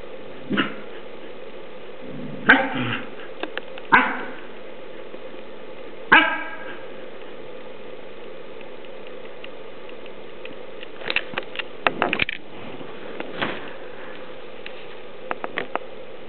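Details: Comet, a dog, growling at another dog named Rocket: scattered harsh bursts and short yip-like barks, strongest near the start, then a quieter stretch before clusters of brief clicks and snaps toward the end over a steady low hiss.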